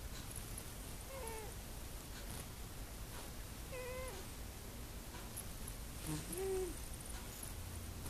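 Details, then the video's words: Dreaming cat asleep indoors, snoring with faint wheezy whistling tones on each breath, roughly every two and a half seconds, the last one lower and slightly louder, against quiet background hum. "Cat snoring like a person"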